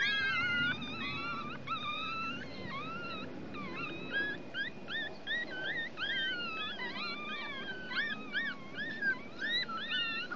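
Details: A litter of Chihuahua puppies one week old, out in the sun to dry, keep up a steady chorus of thin squealing whines. The wavering and looping notes overlap and come several times a second.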